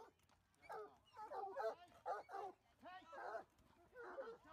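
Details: Bloodhounds in a hunting pack on Boxing Day 2018 give deep, drawn-out bays in short repeated bursts, with human voices mixed in.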